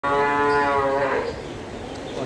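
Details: Fleckvieh cow on a dairy farm in Bangladesh giving a single loud, drawn-out moo with a rich harmonic tone that fades after about a second, with steady farm background noise.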